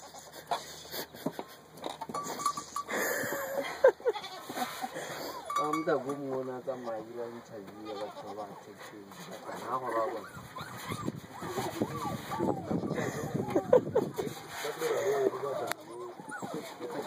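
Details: A two-day-old goat kid bleating repeatedly in short wavering cries, mixed with people talking nearby throughout.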